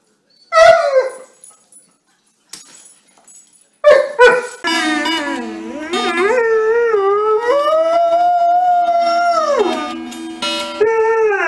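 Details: Dobermann howling in a funny compilation: a couple of sharp barks first, then a long sustained wavering howl that dips, rises and holds steady for several seconds before dropping, with faint music underneath.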